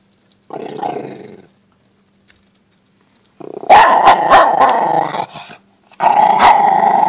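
An Italian Greyhound growls in rough, rumbling bursts while guarding its bone.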